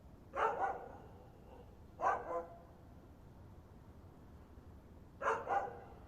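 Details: Dog barking in paired bursts, three doubled woofs separated by pauses of about two to three seconds, fairly soft against faint background noise.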